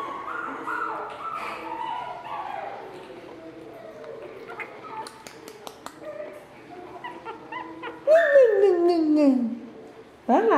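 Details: Playing Shih Tzu puppies from a chocolate litter born in June 2013: scattered faint squeaks, then one loud, long whine sliding steadily downward near the end, with women talking in Portuguese throughout.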